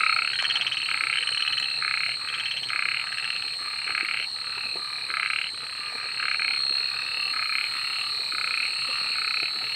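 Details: Frogs at night give loud, rattling pulsed croaks in short bursts, about two each second, repeating steadily over a constant high insect hum.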